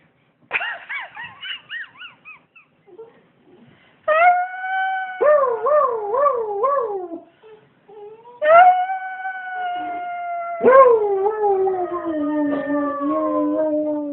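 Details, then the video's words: Several dogs howling in long tonal wails that waver and slide, in four separate bouts. Some bouts hold a steady pitch, others ripple up and down. Short quiet gaps fall between them, with faint yips in the pauses. "howling dogs"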